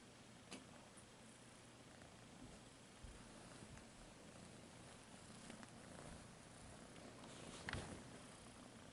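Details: Domestic cat purring indoors, a soft continuous low rumble under broad hiss, with a few sharp clicks and a brief louder rustle near the end.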